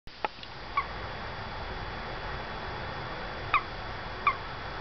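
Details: A little male toad trapped in a window well at a house, his quiet female companion nearby, gives three short, bright peeps spread over five seconds, each with ringing overtones, plus one faint click early on, over a steady low background hiss.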